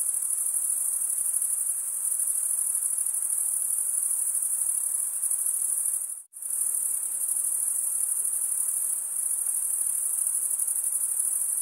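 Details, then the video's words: Crickets trill continuously in a high, buzzing chorus that cuts out abruptly for a moment midway before resuming at the same steady level. "Most relaxing cricket sound for 8 hours"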